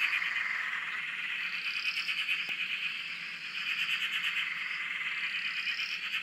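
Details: Australian frogs chorusing on a dam near a shack: rapid, rattling pulsed calls form a thick constant wall, while higher rising whistle-like notes recur every couple of seconds.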